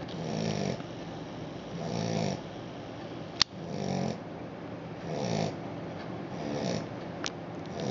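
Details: Australian Shepherd puppy snoring while asleep; softer, hissing breaths with low rumble roughly every one and a half seconds, interrupted by a sharp tap midway.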